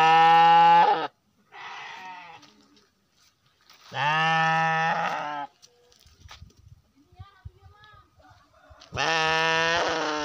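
Three strong, buzzy bleats from a Garut sheep come several seconds apart, each steady and slightly wavering. Between them are quieter rustles and a few faint human voices.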